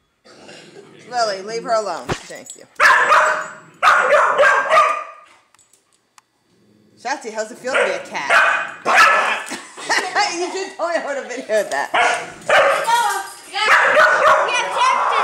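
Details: A female Dachshund barks in sharp, rapid bursts, very angry, defending her nest from a neighbour's dog that wanted to play with her, with a human voice mixed in.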